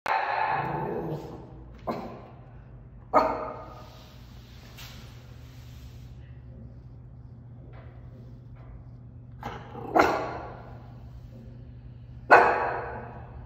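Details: A 6-month-old parti Miniature Schnauzer puppy throws a tantrum while waiting for a sixth-floor elevator, giving sharp, broadband barks at irregular intervals over a steady low hum.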